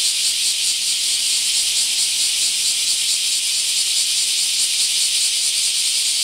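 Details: Bear cicadas massing in a park in Akashi, Japan, produce an unbroken, searing buzz, high and hissy, with a soft regular throb beneath the steady roar.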